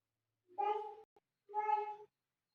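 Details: A cat gives two clear meows, each about half a second long, steady and harmonic with a slight fall at the end. A tiny chirp falls in the short gap between them, against an otherwise quiet background.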